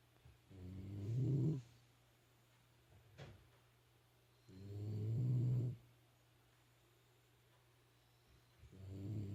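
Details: Pet Shiba Inu snoring at home: low, rough, drawn-out snores, each lasting about a second, repeating roughly every four seconds over a steady low hum.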